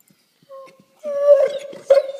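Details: A pet dog making weird sounds indoors: a thin high whine near steady pitch, then longer warbling whimpering howls with two louder bursts, followed by a person telling it to stop.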